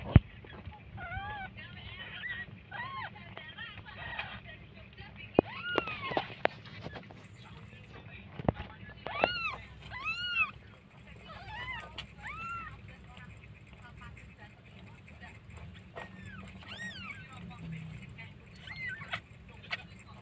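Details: Newborn kittens of a cat in Jakarta give repeated high, arched mews with rising-then-falling pitch, one every second or two, some overlapping, over a steady low hum and faint background noise.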